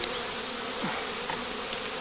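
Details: Big, lively swarm of bees being gathered near a farm, giving a continuous, even droning hum with a low tonal band and broad hiss above, one soft brief sound midway.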